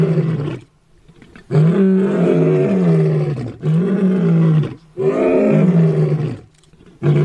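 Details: Lion giving a series of deep, rough roars, each lasting about one to two seconds and separated by short silent gaps, low and groaning with a slight downward slide.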